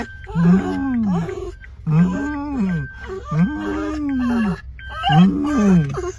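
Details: Kooikerhondje worked up with excitement at a dog run, giving four long, drawn-out whining cries, each rising then sagging and falling away, spaced roughly every one and a half seconds, over a steady low engine-like hum.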